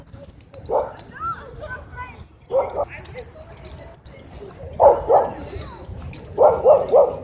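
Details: Dog at a dog park threatening to attack the person filming, barking in short bursts: single barks, then a pair, then rapid runs of three, with brief pauses between groups.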